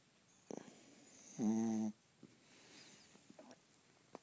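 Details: Honey, a pet dog, snoring: one drawn-out, harmonic, nasal snore lasting about half a second, with faint soft breaths and small clicks around it in a quiet room.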